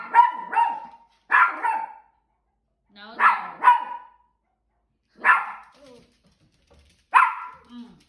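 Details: Yorkshire terrier Macy barks while wanting to chase other dogs; bright, sharp single and double barks come in bursts roughly every one to two seconds, six bark groups in all, with a quiet whine between them.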